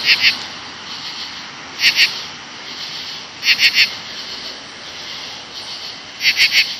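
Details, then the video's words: Seventeen-year cicadas swarm the bushes during their August 2013 emergence, late evening, with a constant high buzzing whine. Stronger buzzy pulses stand out in clusters of two or three, four clusters in under seven seconds. "Very LOUD NOISE CICADAS 8-6-2013.comes out 17 year"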